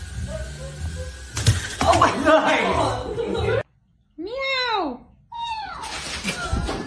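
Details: Domestic cat from a funny-cats compilation giving two clear, arched, rising-then-falling meows in quick succession, following a stretch of loud human talking and background noise indoors.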